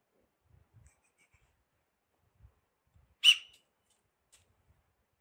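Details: A Himalayan tahr near a watchtower outside Chopta, where a female, a male and a kid were licking salt, gives one sharp, high whistle-like call against near silence, supposedly an alarm call.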